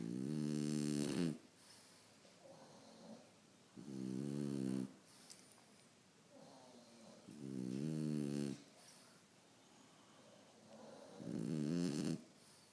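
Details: French Bulldog snoring; four loud rasping inhalations, each about a second long, come roughly every three to four seconds, separated by softer, breathy exhalations.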